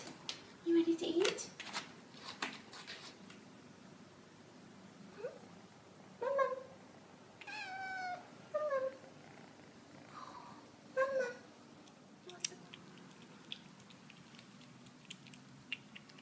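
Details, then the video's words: Hungry twelve-week-old kitten, Cooper-Bleu, meowing for food indoors: a few short clicks and knocks, then several harmonic meows, some bending upward, spaced a second or more apart, with a person's voice and household clatter between them. "Hungry Kitten Wants Food Now!"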